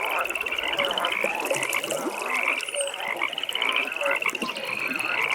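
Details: Nighttime pond with frogs calling together: continuous beaded trills pulse rapidly at a high pitch, broken by brief lower croaking notes, all over soft background ambience.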